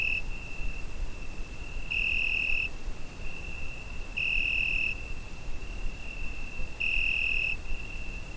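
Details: High, even cricket trill on a summer night, recorded with a Zoom H5, strengthening into louder bursts about every two and a half seconds while a soft low rumble persists.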